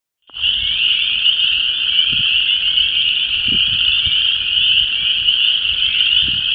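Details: Spring frog chorus at a disturbed ephemeral depression in Vermilion County, Illinois, with chorus frogs, spring peepers and wood frogs calling to mate: a dense, continuous high trill of overlapping peeps and rasps, with faint low wind rumbles beneath.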